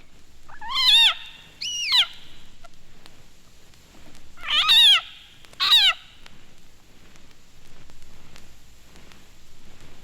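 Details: A leopard frog screams with its mouth open, loud, wavering, cat-like calls, high and rich in overtones, in two quick pairs.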